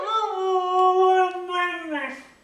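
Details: Pet female dog "talking" as if saying she wants her mommy, giving one sustained, tonal howl with rich harmonics that holds steady for about two seconds and then sags downward and fades. The owner speaks affectionately just before and after.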